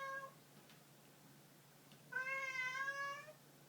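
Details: Cat gives a brief meow, pauses, then a long, loud, sustained meow of over a second with steady, strongly harmonic tone, faint hum in the background.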